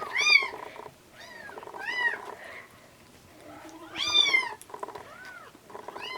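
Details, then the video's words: Bottle-feeding of rescued orange tabby and hachiware kittens close to weaning; insistent high mewing cries, some long and wavering, over slurping and noisy background. "ちゃとらとはちわれ 保護猫のミルクあげ"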